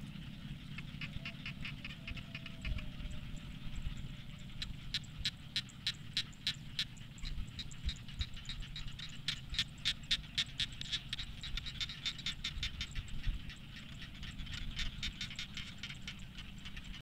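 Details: Rice-field frogs calling at dusk, many overlapping fast ticking croaks forming a pulsing chorus that thickens in the middle and eases later, with a low background hum throughout.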